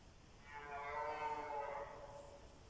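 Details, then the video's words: One drawn-out, richly layered roar about one and a half seconds long from a red deer stag at dusk during the evening rut, with several bulls calling against each other nearby. "Wieczorne ryki jeleni"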